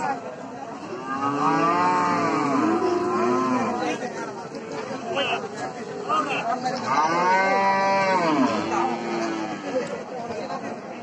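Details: A cow in Bangladesh gives two long, deep moos, each swelling and then falling in pitch, about five seconds apart, over steady background hum and faint voices.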